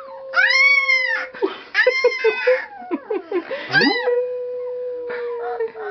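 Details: Pet dog being taught to howl in a howling lesson: long, drawn-out wavering howls that arch up and then level off, repeated several times, with a person's voice prompting between them.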